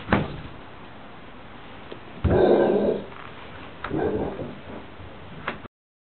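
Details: Cowboy the dog, indoors behind a window as the mail is delivered, gives two muffled, hoarse barks a second and a half apart, framed by sharp thumps on the glass.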